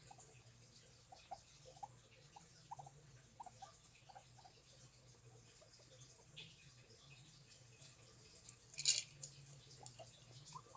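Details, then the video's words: Guinea pigs making soft, short squeaky notes in an irregular stream, several per second at times, over a steady low hum, with one sharp click-like burst near the end. "Guinea pigs making noises"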